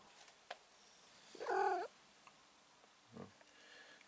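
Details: Cat in a garden waiting under a tree to pounce on birds; a single short drawn-out harmonic meow of about half a second, then a brief low sound, with quiet background otherwise.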